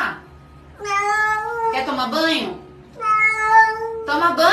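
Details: Cat giving two long, drawn-out meows, steady and slightly falling in pitch, each about a second long, separated by quieter moments with a brief murmured sound between them.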